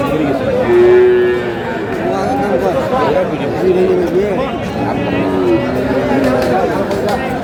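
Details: Sahiwal bull calves in a crowded Kurigram cattle market, Bangladesh, 8 April; short, level moos rise briefly above constant bargaining voices and crowd noise, recurring every couple of seconds.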